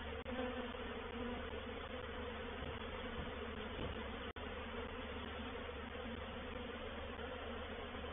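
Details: Dense hum of a reproductive honey bee swarm moving into a bait hive at Painted Peacock Manor, 4 July 2021; even droning buzz interrupted by two brief dropouts.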